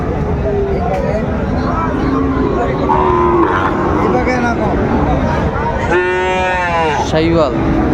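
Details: Sahiwal bull calf among the animals at Raniganj cattle market, 25 July 2024; a loud, bright, harmonic bellow near the end, dipping then rising, above constant crowd talk and passing vehicles.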